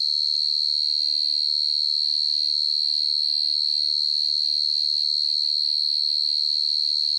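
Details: Nighttime cricket, called dế mèn or dế cơm, giving a steady shrill trill of rapid regular pulses over a faint low hum.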